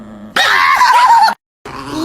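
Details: Dramatic pet dog named Maya gives a loud, rough, grunting vocal outburst of about one second with wavering harmonic tones, then a short silence and a softer noisy tail.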